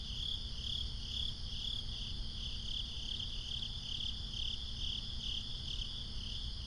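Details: Swamp crickets at night keeping up a continuous high chirping chorus, rapid pulses repeating steadily throughout, with fainter high trills above and a low droning rumble beneath.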